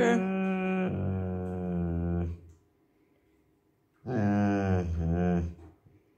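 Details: Fluffy, a female Bernese Mountain Dog puppy, gives two long, deep, bear-like rumbling growls when refused some chicken.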